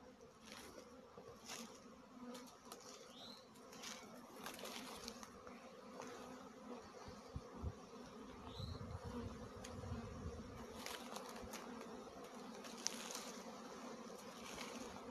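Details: Swarming honey bees flying about among trees and bushes before landing, during a swarm catch: dense, steady droning hum with a low drone and a mid-pitched drone, faint chirps of small birds above.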